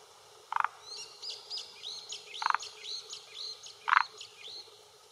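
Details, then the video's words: Male forest green tree frog on a Japanese hillside pond shore, early June 2021 late afternoon, calling to claim territory and attract females: three brief gritty croaks about 1.5 seconds apart over a busy chorus of whistled bird song. "Croaking Male of Forest Green Tree Frog"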